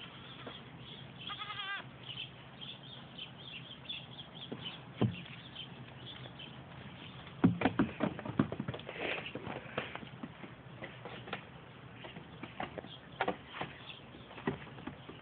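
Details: Three-month-old pygmy goats going crazy; a short wavering, harmonic bleat near the start, followed by irregular knocks, scuffles and rustling noise over a steady low hum.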